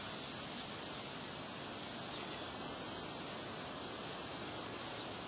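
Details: Insect chorus of crickets on a windy day: bright, high chirps pulse steadily, roughly twice each second, against a thick background of gusting wind.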